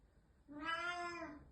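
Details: Black pet cat calling indoors, upset that a housemate moved out a couple of days before; one long, even meow with bright harmonics, rising gently and fading, room otherwise quiet.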